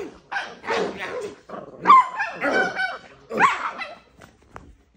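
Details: Miniature Pinscher in a feisty little mood, letting out a run of sharp, high barks mixed with whiny, wavering yelps and a growly edge, pausing briefly between bursts.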